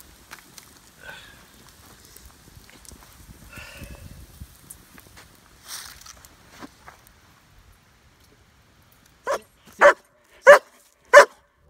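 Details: German Shepherd meeting another dog on a fall 2017 backpack camping trip at Devils Den, Arkansas; a man quietly gives commands and footsteps crunch, then four loud, sharp barks ring out about two-thirds of a second apart.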